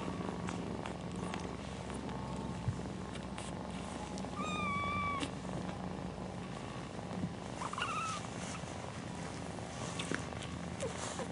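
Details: House cat mother nursing her kittens, purring in a low, even rumble; two short, thin, rising-then-falling mews cut through, one near the middle and another later, over soft rustles.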